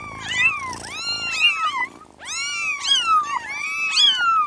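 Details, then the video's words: A group of kittens gives a rapid series of high, arched mews that rise and drop in pitch, several voices overlapping with barely a pause. "Sounds of kittens (little cats)"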